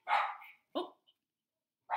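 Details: Female pet puppy barking indoors, wanting to go play outside: two short, quiet barks in quick succession, then the onset of a third at the end, in a small room.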